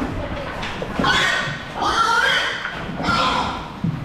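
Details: Domestic pig being moved out of a crowded barn into a new pen by a family, giving loud harsh squeals in three bursts about one second apart, with thumps and background noise.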